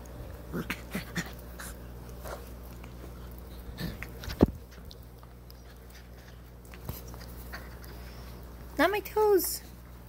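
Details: Six-week-old Vizsla puppies on a lap early in the morning, indoors. Mostly quiet shuffling and soft clicks and taps, then near the end a brief high, arched puppy whine in two quick pulses.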